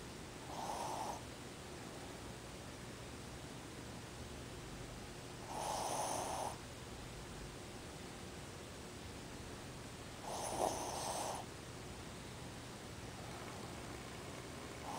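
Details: Shih Tzu Ozzy asleep with open eyes, snoring steadily: three rough, hoarse snores spaced about every five seconds, each about a second long, in a quiet indoor setting.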